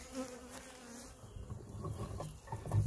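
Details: Western honey bees buzzing around a beekeeper at the hives; the bees come from hives he made earlier, not this one, as protein paste is added. A steady low hum with faint higher overtones, plus handling and rustling noises.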